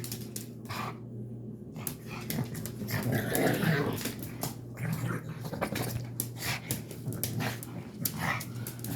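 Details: Pug indoors after a bath giving strange noises: continuous low grumbling snorts with irregular breathy huffs and scratchy rustles, swelling mid-way then easing off.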